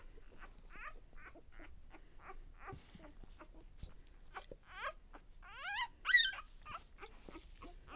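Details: Day-old pups from Lexa's litter give soft, rapid squeaks, then a burst of louder, wavering whines near the end as several pups call together, with faint clicks between.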